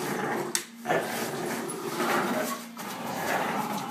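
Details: Bullador, a mixed-breed dog crossing Labrador and English Bulldog, giving rough, breathy grumbling sounds in broad noisy bursts, with a sharp click early on, a brief quiet dip, and a steady low hum beneath.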